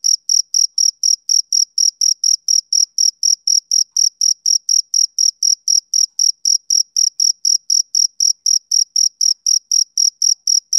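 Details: A male cricket on a summer evening keeps up an unbroken train of sharp, high chirps, about 43 of them at a steady four per second, alone against silence.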